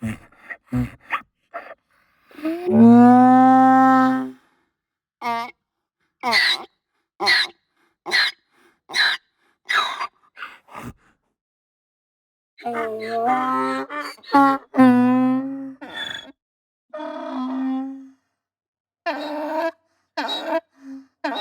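A donkey brays in loud, harsh bursts, swinging between a high wheezing note and a lower honk.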